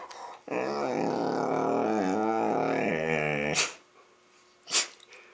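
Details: Labrador Retriever gives a long, warbling, grumbling growl-moan while playing with a Rottweiler puppy, followed by a couple of sharp knocks.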